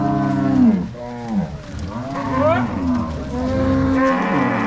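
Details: Angus-Nelore crossbred cattle moving from corral to pasture under three cowboys and six dogs, Ortigueira, Paraná, March 2022: a long falling moo opens, followed by several softer overlapping lows and one rising upper call.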